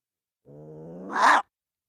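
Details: Single gray fox vocalisation: a steady, throaty growl held for under a second that breaks into a sudden, loud, coarse bark at the end, then quiet.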